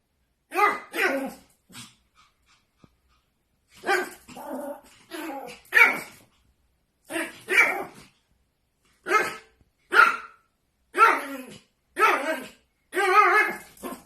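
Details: A Pomeranian dog barking at its reflection, short sharp barks in clusters of two or three, separated by pauses of about a second, with a brief gap early on.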